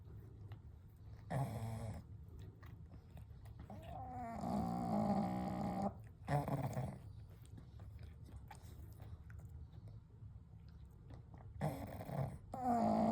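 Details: Kou, Gen and Shun, three pugs sleeping side by side at night, produce irregular snorts and a longer rasping snore around 4–6 seconds, with short snuffling bursts near 1.5, 6.5 and 12 seconds over gentle breathing.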